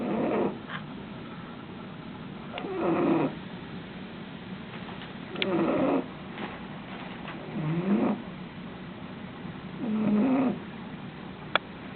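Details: Gracie, a dog, snoring steadily: five soft, buzzy snorts with a wavering moan in them, recurring about every two and a half seconds over a faint background hiss.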